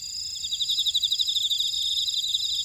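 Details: Field insects in a buckwheat field on Jeju, South Korea: brief burst of bright rapid chirping pulses over steady high-pitched ringing from several callers.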